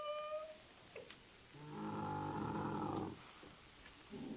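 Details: Bactrian camel giving a short, harmonic, moaning call of about one and a half seconds, after a brief higher tonal note, with quiet background between the sounds.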